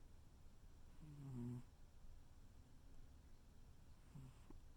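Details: Tuxedo cat snuggled up and snoring, one low humming snore early on and a fainter short snuffle near the end, quiet indoors.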